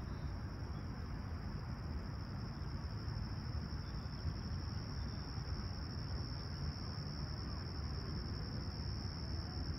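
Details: Steady high insect trill from crickets at Humber Bay Shores, Toronto, on a clear summer morning, July 28, 2020, 20ºC, holding unchanged for the whole stretch above a dense low-pitched rumble, no other calls standing out.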